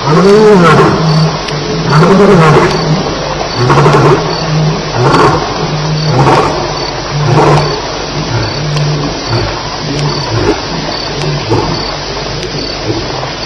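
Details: Lions at Elephant Plains on a night of fighting, July 9, 2010, around 2:11 am: a roaring bout of deep, rumbling grunts, each swelling then fading, repeated roughly every second and slowly weakening, with a steady insect hum behind.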